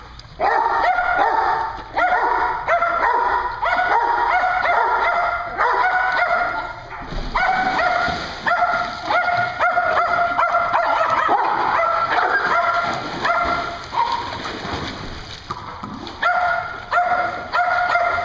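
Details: Dogs at a dog daycare in Hooksett, New Hampshire, barking together in dense, overlapping bursts, harmonic yaps layered almost continuously with brief gaps, with a steady background hum throughout.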